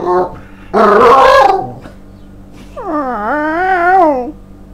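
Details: Tiger, a pet Staffordshire Bull Terrier, overly excited indoors as the owner gets home from work, expecting the evening walk: a short high yelp, a harsh rough bark-like burst, then a long wavering whine rising and falling.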